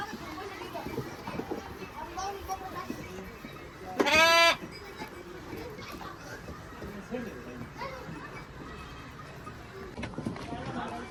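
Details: Heavy male goats (bucks) kept on a farm: one loud, harmonic, wavering bleat lasting about half a second midway, set against steady conversation among people and low farmyard chatter.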